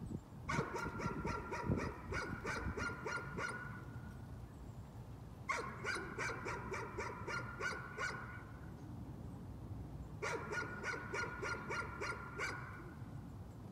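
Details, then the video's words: Dog in nuisance barking, bursts of rapid repeated sharp barks about four seconds long, separated by short pauses, with steady low background rumble. "Nuisance barking again."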